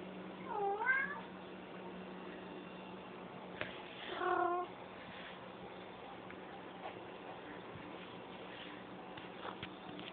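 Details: Domestic cat making its strange questioning "Rrrrr?" noises: a short rising chirped trill near the start, a second rolling trill a few seconds later, then quiet room background with faint clicks.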